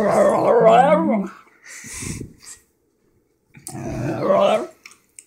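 An excited Basenji gives wavering, yodel-like howls in two bursts separated by a pause.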